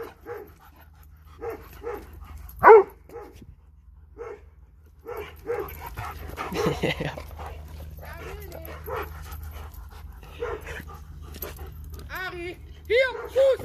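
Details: A dog from a Dobermann and Boxer pair wants to play with a ball and gives scattered single barks, one much louder than the rest. A person talks and calls the dog, and high whines rise near the end.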